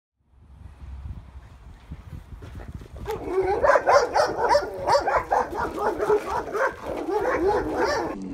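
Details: Female German Shepherd that shows predatory aggression around other dogs, in a board-and-train program; after a quiet start, a rapid, excited run of high, harmonic yelping barks, about four per second.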